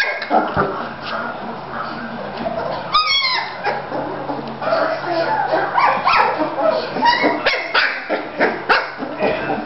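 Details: Playful three-week-old Bulldog pups in Florida: a busy tangle of yips and whimpers from several puppies, one clear rising squeal near the middle, and human speech mixed in throughout.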